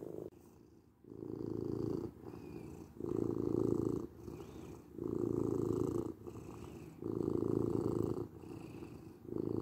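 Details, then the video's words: Steady purring from a domestic cat, a deep vibrating rumble that grows loud every couple of seconds and eases between breaths, repeating evenly in a quiet room. "Cat Purring"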